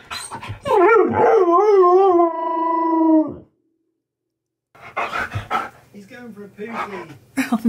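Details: Keyush, a pet Husky, happy while given all his favourite things, lets out a long, wavering, tuneful howl-like cry of about three seconds that slides and quivers in pitch. A short silence follows, then a person talks.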